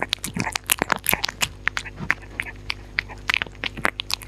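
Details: Dog eating indoors, close up: dense, loud crunching and biting, sharp broadband clicks and snaps in quick irregular bursts, with a steady low hum underneath and no talking.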